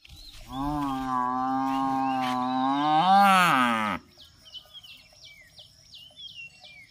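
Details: Buffalo giving one long, even, harmonic-rich moo lasting about three and a half seconds, swelling and bending upward near its end before stopping abruptly. Afterward a fast, high, repeated chirping continues in the background.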